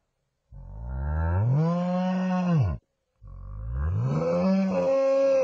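A buffalo gives two long, deep bellows, each rising in pitch and then cutting off.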